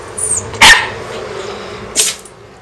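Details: Shiba Inu dog sneezing while begging for treats at a company office. One short, sharp, explosive burst, then a softer second burst about 1.3 seconds later, with a faint high sound near the start.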